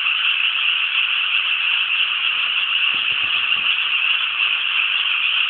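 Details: Dense chorus of frogs in rice paddies near Inasato, Nagano City, Japan; continuous, grating croaks blend into one steady rattle, with a few faint low thumps midway.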